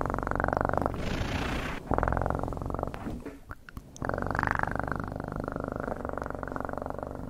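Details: Loud, continuous cat purr with a pulsing low rumble, briefly interrupted by a hissy breathy burst and a short dip before the steady purring returns.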